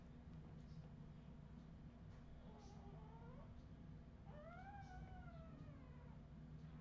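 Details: Australian Terrier puppies from 2018 giving two drawn-out, whistly whines, the first wavering and rising near 2.5 seconds, the second longer and arching high then sliding down, over a steady low hum.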